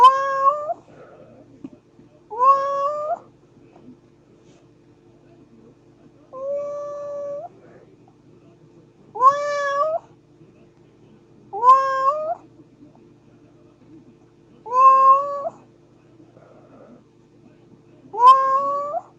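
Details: Young kittens give a string of loud, tonal meows that bend upward and then level off. There are seven calls with pauses of one to three seconds between them, over a low constant background hum.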